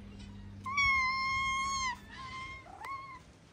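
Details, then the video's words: Hungry, skinny female calico cat, seemingly a stray in Morocco, giving a loud, long, steady meow of about a second, then a shorter rising-falling meow, against a faint background hum. "The skinny calico cat meowed loudly because she was hungry."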